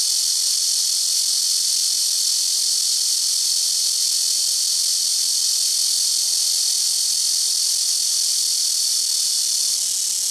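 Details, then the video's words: Blackish cicadas calling from rooftop trees at a home, taking turns from the tree in front, the left and the right: a loud, very noisy, unbroken high hiss-like drone that holds steady throughout. "시끄러운 매미우는소리"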